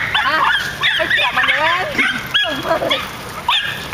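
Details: Several nine-month-old miniature schnauzers bark together in a park, a dense run of high, whiny yelps and bending, overlapping barks almost without pause, with human voices faintly underneath.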